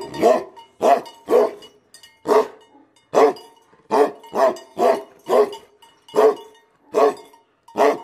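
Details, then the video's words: Aggressive Tibetan Mastiff dogs, called BhoteKukur, barking angrily: deep, harsh barks repeated at uneven intervals, about a dozen in eight seconds, with a faint steady tone beneath. "Aggressive Tibetan Mastiff Dogs Barking Sound || Angry Dogs Sound || BhoteKukur"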